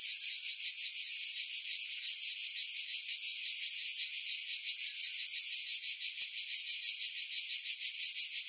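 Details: Summer cicadas in pine woods above the sea at Pefkos Bay, Skiros, Greece, July 2018; intense high-pitched whirring buzz beating rapidly and evenly, roughly three pulses each second, nothing else audible.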